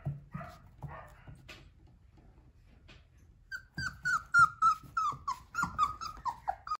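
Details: Liver-coloured male Flat-coated Retriever puppy: a few soft low grumbles, a quiet pause, then a fast string of sharp high yelps, about three a second, each short and falling slightly in pitch, indoors.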